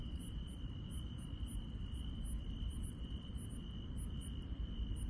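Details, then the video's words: Countryside insects at night: an even, sustained high trill with brief, very high chirps spaced about half a second apart, against a low, steady hum. "시골 밤의 정겨운 풀벌레 소리"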